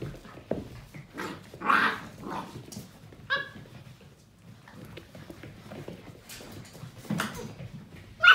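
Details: Portuguese Water Dog puppies, seven weeks old, romping together: occasional bright yelps and small barks separated by stretches of shuffling, thumping play noise, ending on a sharp squeal.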